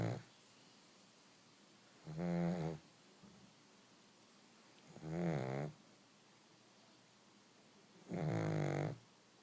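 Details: Sleeping pug puppy taking a nap: rough, vibrating snores recurring about every three seconds, each swelling for under a second, separated by near-silent pauses with faint room hiss.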